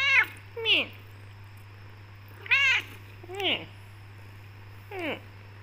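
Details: Talkative black tortoiseshell Persian cat meowing back and forth with its owner, who won't let it leave the room; five arched, whining meows at irregular intervals over a constant low electrical hum.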